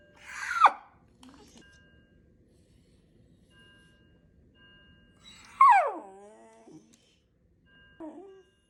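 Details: Shiba Inu indoors screaming at a fire alarm: two sharp, shrill, downward-sliding screams about five seconds apart and a short yelp at the end, with steady faint alarm tones underneath.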